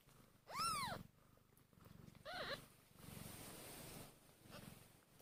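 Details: Tiny hungry kittens one hour after birth give two arched mews, the first loud and rising then dropping, the second softer, about two seconds apart, over steady low rhythmic purring pulses.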